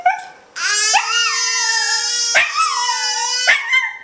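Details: Welsh Terrier pet Maya sings along whenever the baby yells; after a quiet start, a long sustained howl with gently falling pitch sweeps runs alongside the baby's steady tone, punctuated by a few short clicks.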